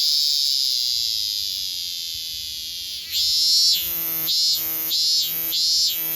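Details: Minminzemi (robust cicada) holding a long, even, high-pitched buzz for about three seconds, then breaking into a rhythmic series of louder, rising-and-falling pulsed notes, each roughly half a second apart.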